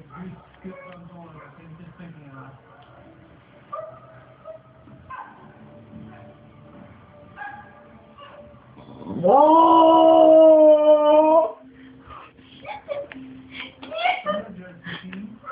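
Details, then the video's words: Cue, a pet bulldog with a soft spot for monkeys, cries at them: one loud, sustained wail about two seconds long that rises sharply and then holds steady. Quieter background sounds and a person talking come before and after it. "Cue the bulldog CRIES for monkeys"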